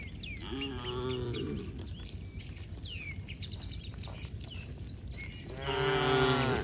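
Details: A herd of tame cows heading home along a rural road with the herder: a short low moo early, then a louder rising-falling moo at the end, with scattered bird chirps and road noise between.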